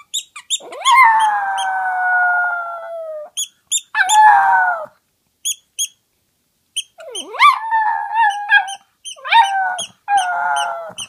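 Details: Toy poodle kept as a pet, fond of howling, gives long sustained howls that slide gently downward, then shorter rising and falling yowls, accompanied throughout by regular sharp high-pitched ticking pulses.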